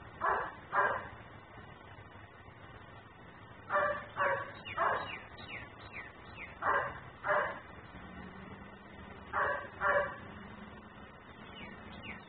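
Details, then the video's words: Outdoor dog barking incessantly when left out by its owner; sharp barks in bursts of two or three, roughly every few seconds, with a faint low tone and background hum. "Barking dog no one hears.......but me"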